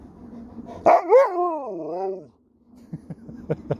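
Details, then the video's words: Sherpa the Alaskan Malamute in Cornwall, England, talking back while asked about zombies in a hole: a sharp bark leading into a long wavering woo-woo howl of over a second, followed by quieter huffs and clicks. "Dog won't let me Finish a Sentence without Talking Back!"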